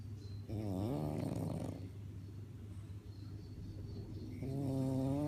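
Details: French bulldog asleep and snoring: a rising-and-falling voiced snore of over a second, a rough breathy stretch, then another steady, tonal snore starting near the end, all above a faint low hum.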